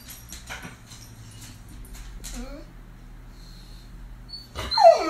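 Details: Greater Swiss Mountain Dog in a house whining when the electric man comes: a sliding, falling whine near two seconds, then a sharper high whimper sweeping downward at the end, over a steady low hum and faint shuffling.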